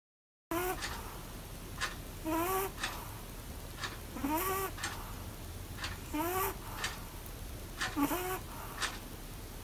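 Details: Pomeranian dozing while sitting in the bath, snoring: a squeaky, rising nasal whine with harmonics and breathy noise bursts, repeating roughly every two seconds over a soft steady hiss.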